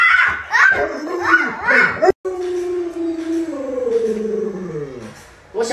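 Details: Pet Alaskan Malamute Luoluo responding to its ill owner in bed: human talking at first, then after a short gap a long, smooth howl that holds steady before sagging lower and fading.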